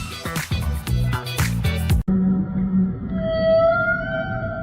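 A whale gives a long, drawn-out tonal moan, rising slightly, after a burst of music.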